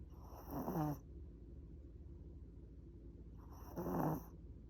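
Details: Sleeping Chihuahua Mozuku curled on a lap, giving two deep, throaty snores about three seconds apart, each a rough rattling rush of air followed by near silence.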